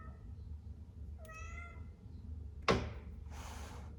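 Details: Domestic cat giving a single short meow lasting about half a second, with a rising then falling tone, indoors against a low hum, followed by a sharp thunk and a burst of rustling noise.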